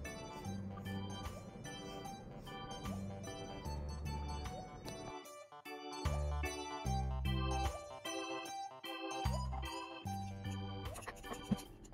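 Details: Light keyboard music plays with tinkling notes and a bouncing bass line that stops and starts, while a dog is shampooed, and no animal sound is heard.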